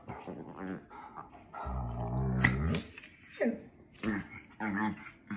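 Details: A Shih Tzu/Pekingese and a German Shorthaired Pointer play-fight, jealous over attention, with low rumbling growls and short yelps.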